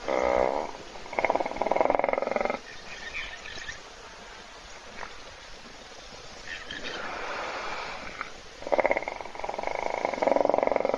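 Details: Hippopotamus asleep in a puddle at an African waterhole, filmed by a live webcam while other animals wait to drink. Rough, buzzy snoring bursts come in loud groups at the start and end, with a quieter stretch in between.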